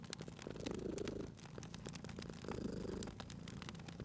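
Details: Sleeping domestic cat purring beside a fireplace; two rounded swells of low, buzzing purr roughly two and a half seconds apart, each followed by a quieter lull, overlaid with bright crackling and popping of burning wood.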